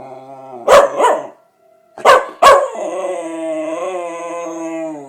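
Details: Cody, a pet dog, reacting to a tornado siren: two sharp barks, then a long sustained harmonic howl held steady for about two seconds at the end, over the faint steady tone of the siren.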